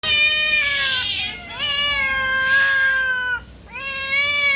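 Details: A domestic cat gives loud, drawn-out yowling meows, each sliding slowly downward in pitch; the owner asks why it screams so much and says their own cats are frightened and coming to look.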